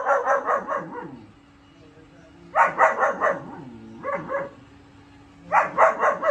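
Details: Young German shepherd, four months old, barking in repeated bursts of four to six rapid yappy barks separated by short pauses, with a man briefly speaking at the end.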